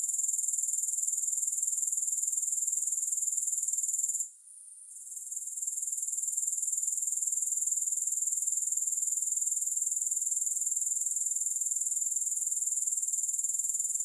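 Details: Unbroken high, thin chirring of grasshoppers with fast regular pulsing, about four beats a second, pausing briefly after four seconds and then swelling back to a steady drone for the rest. No music.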